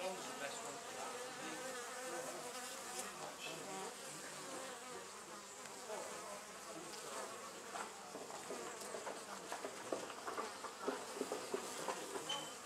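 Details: A wild honey bee colony nesting in an old storage box at a museum gives a dense, steady hum, wingbeats rising and falling in intensity.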